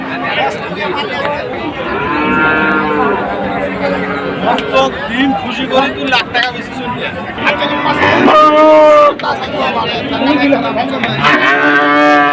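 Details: High-quality Holstein Friesian heifers for sale at Ambari market: several drawn-out, harmonic moos with bending pitch, some overlapping, heard over music and faint crowd chatter.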